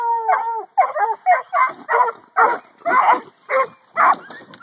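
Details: Two 8-month-old pups, a McHugh line Catahoula and a black and tan Coonhound, penned in the afternoon while harassing pigs: a drawn-out howl-like opening, then a steady run of loud, harsh barks roughly every half second.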